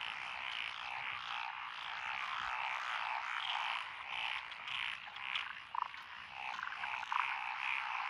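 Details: Dense frog chorus from lotus rice paddies along a rural road in Echizen, Fukui, Japan, recorded 12 June 2021; tree frogs, Daruma pond frogs, wrinkled frogs and green tree frogs, as a steady buzzing wall of croaks with occasional brighter notes.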